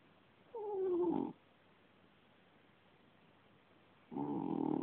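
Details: Sleeping British Shorthair cat snoring, two raspy drawn-out breaths about three seconds apart, the first with a faint falling whistle, with near silence between them.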